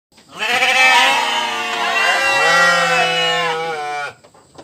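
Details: Sheep giving one long, drawn-out bleat of almost four seconds, a strained, nasal, wavering cry that stays steady in pitch before cutting off abruptly.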